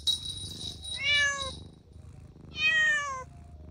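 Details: Kittens playing outdoors on the grass: two clear meows that start slightly higher and slide gently down, separated by a pause, with a brief hissy rustle at the start and low background rumble.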